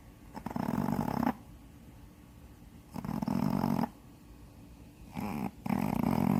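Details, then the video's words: A sleeping Shih Tzu, Gyuri, roughly seven or eight years old, blind in her left eye and with widened nostrils, snores with a harsh, growl-like rattle; three noisy breaths within six seconds in a quiet room. "코골기#강아지#시츄#a snoring dog"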